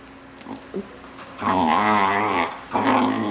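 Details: A 6-month-old Vizsla puppy making weird noises while its owners play with it indoors: a quiet start, then a long harmonic growl-like moan and a second shorter one, with voices just after.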